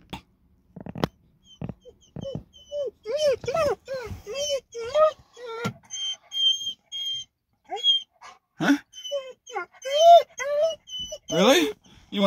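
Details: Chevy, a very quiet dog that rarely barks, gives soft, high, arching whines in excitement on arriving at a parking area to meet his buddies Maruta and Ku-chan; repeated short whimpers, with a person talking softly alongside.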